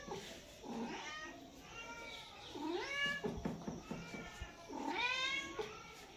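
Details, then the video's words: Cat and kittens meowing indoors: several rising-then-falling meows spaced a couple of seconds apart, some higher and thinner, with soft rustling and faint voices in the background. "Cat meows sound effects 🎧😺 बिल्ली की आवाज 🎧😺 cat and kittens meowing | Cat meowing compilation💞"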